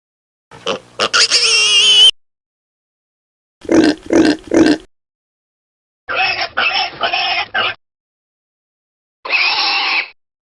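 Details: Suckling piglets give a shrill, tonal squeal, then pulsed grunt trains of three to four beats. Each burst is separated by silence, and a final harsh, noisy squeal closes the sequence.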